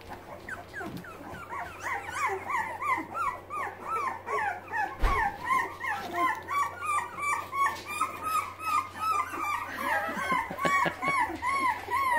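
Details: Boxer puppies, young and still learning to use their legs and paws, whimper in a dense litter chorus: repeated arched squeals, several callers overlapping in pulses about every second, with a thump midway.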